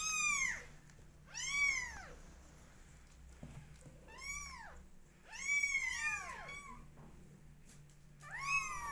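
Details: Several 20-day-old kittens cry with bright rising-falling meows, at times two voices overlapping, about seven calls over nine seconds, with a faint hum and a soft knock midway.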